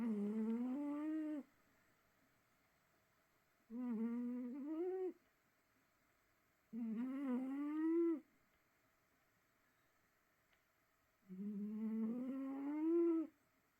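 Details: Sleeping cat snoring indoors: four drawn-out, tonal, humming snores, each lasting about one and a half seconds and rising slightly in pitch, separated by quiet pauses of two to three seconds.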